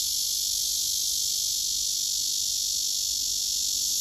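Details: Male cicada singing on a tree trunk among several cicadas, some males singing with wings spread and abdomen raised: a steady, dense, hissing high-pitched buzz held without break, with no other clear sounds.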